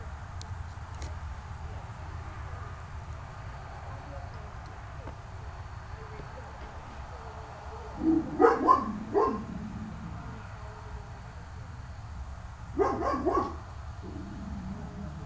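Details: Dog barking in two short bursts, a cluster of three or four sharp barks around the middle followed by a pair of barks a few seconds later, over a steady low hum and quiet background.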